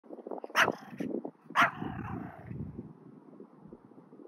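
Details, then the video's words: A two-year-old male Pomeranian walking through deep snow outdoors, energetic; two sharp high barks about a second apart, followed by crunching and rustling of snow. "Beautiful Pomeranian walking in the deep snow"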